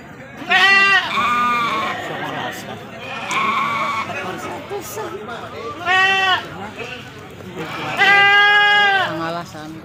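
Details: Male goats at a busy goat market in Majenang, including Jawa Randu type; several wavering, nasal bleats every couple of seconds, the loudest near the end, over steady chatter of traders and buyers.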